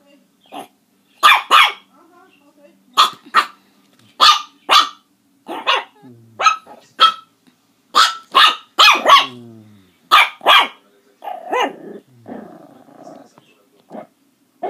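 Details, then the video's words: Puppies barking in a rapid series of about twenty sharp, high yaps over fifteen seconds, some in quick pairs, with a person's voice saying "no" between the barks and a few softer yelps near the end. "Preciosos cachorros ladrando"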